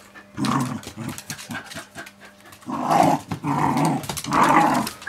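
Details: Smooth Fox Terriers Amadeus, two years old, and Gertrude, five months, playing indoors with a pit bull named Indy, seven and a half; rough growling bursts in three main bouts with scuffling noises between.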